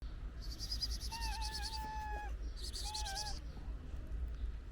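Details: Stray ginger cat and its companions eating pate food, giving short, level, tonal mews in two bursts, each with crisp clicky chewing noise above, over a steady low background rumble.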